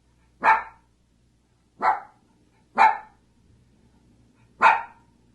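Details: Single sharp dog barks, four in all, each short and high, spaced roughly one to two seconds apart, a faint low hum beneath.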